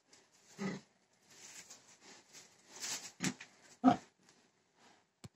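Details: Pig giving a few separate short grunts and snorts with quiet gaps between them, one sharp loud grunt near the end.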